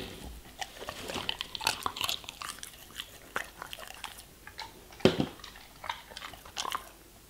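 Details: Vegetables and fruits being eaten by a German Shepherd: dense, crunchy bites in steady bursts, with one loud crack around the fifth second and wet chewing between them.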